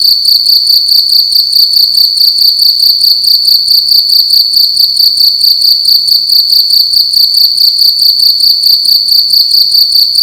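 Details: Indoors at night, one cricket chirps loudly and without pause, a piercing high-pitched tone repeated in short rhythmic bursts a little over twice per second, with a quiet background.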